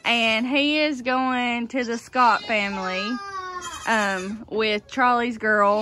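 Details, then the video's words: Loud baby goats born in kidding season 2022, a chorus of overlapping bleats: steady, tremulous cries around half a second long alternating with brief sharp rising calls, nearly continuous with short gaps. "So many LOUD baby goats!"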